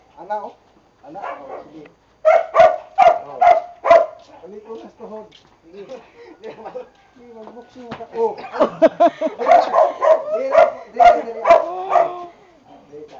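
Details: Two Boxers, Bonbon and Melchor, being trained: a short burst of four quick barks, a stretch of a person speaking, then a longer run of rapid, uneven barking mixed with the trainer's voice.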